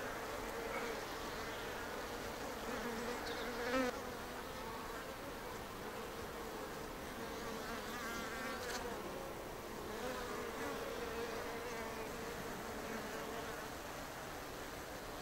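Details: In Japan, an observation colony of native Japanese honeybees (Apis cerana japonica) clusters on a shed ceiling, recorded on day three. Dense, even buzzing from many bees carries throughout, with a steady hum tone and occasional brief louder wing flurries.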